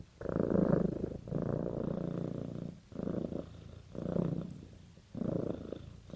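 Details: Domestic cat purring, a sign of bonding with its owner; low rumbling purr in pulses about a second long, separated by brief pauses as the cat breathes in and out, recorded indoors.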